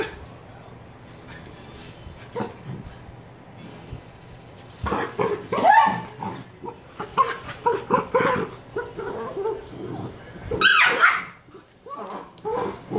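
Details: Niro and Kyno, two 118-day-old Shiba Inu puppies, are quiet for about five seconds. Then they break into dense, irregular bursts of sharp barks and yips, with a loud cluster near the end.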